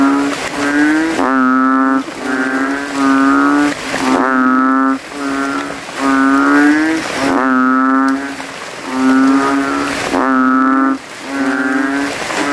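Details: Competing male banded bullfrogs, throats puffed out, in a puddle among graves after nightfall and rain; deep, buzzing moo-like calls repeated about every three seconds, several voices overlapping in a loud chorus.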